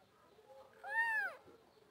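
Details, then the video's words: A kitten gives one short, clear mew that rises and then falls in a smooth arch, with strong harmonics, over a quiet background. "kittens meowing| baby cat sound"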